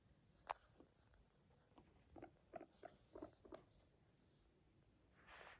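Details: A guinea pig, yawning and purring, gives a soft, low purr of quick pulsing bursts, with a brief breathy rush at the end.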